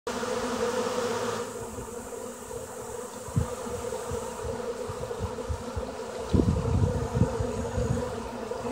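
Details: Honey bees working: a steady, dense low hum of many wings droning throughout, with occasional louder thumps and bumps close by.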